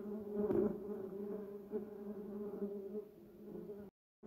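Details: Bumblebees buzzing around a yellow cassia bush and a duranta erecta in a garden: a steady low droning hum with strong layered overtones, swelling and fading as bees move, then a brief silent break near the end.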